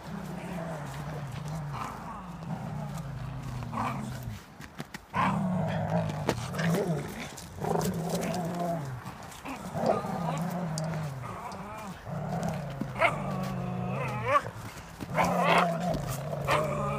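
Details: Airedale Terrier Lenny and Welsh Terrier Martin playing tug of war; low rumbling growls held for several seconds, broken by short pauses, with higher whining and grumbling rises mixed in and scuffling throughout.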